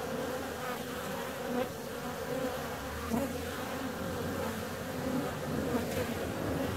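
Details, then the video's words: Honey bee on the wing during a warm spell in February, producing a sustained hum with rising and falling loudness and brief peaks as it draws near, low background rumble beneath. "Bee's out on a warm February day."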